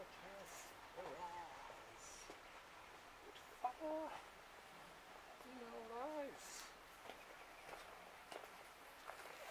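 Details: Street cats meowing outdoors: a few drawn-out, tonal meows that rise and then fall, the longest near the end lasting under a second, with faint voices, footsteps and soft background noise.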